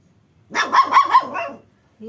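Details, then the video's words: Angry little puppy in a village giving one quick run of three rapid high yaps, followed by a brief voice. "angry little puppy"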